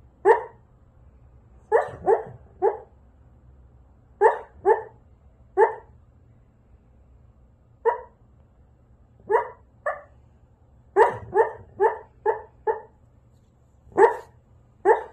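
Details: Siberian Husky kept as a pet, barking steadily indoors: short clipped barks in pairs and runs of up to five, gaps of one to two seconds between groups, no other sounds besides a faint low hum.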